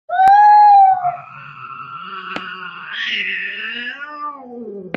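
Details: Angry domestic cat during a fight: one loud, steady, tonal yowl, then a long, quieter, wavering growl-like moan that rises into a harsher, strained wail before fading downward.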